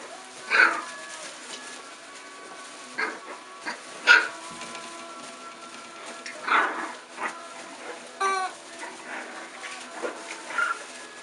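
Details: Olde English Bulldogge puppies, four weeks and two days old, playing after their dinner. Short high squeaks and whines come in scattered bursts with quiet gaps between them, and a brief clicking rattle sounds near the eighth second.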